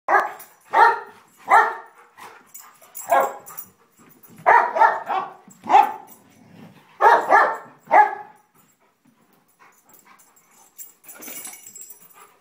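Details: An elder basset mix and a golden retriever youngster in a play fight, the older dog defending its spot: a run of loud, harsh, rhythmic barks, about a dozen in eight seconds, then quieter scuffling and a faint yip.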